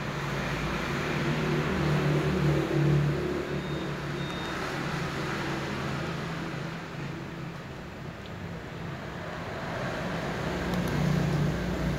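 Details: Continuous traffic noise fills the recording, a deep engine rumble swelling and fading as vehicles pass. No animal calls stand out above it.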